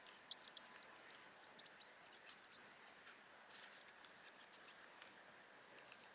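A mouse gives rapid, irregular high squeaks and clicks over a faint, steady hiss.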